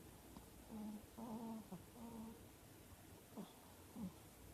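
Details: Maro, a four-year-old female Chihuahua, snores while asleep with her eyes half open. Low, buzzy, nasal tones rise and fall in short, uneven bursts, about one or two each second, against a quiet indoor room.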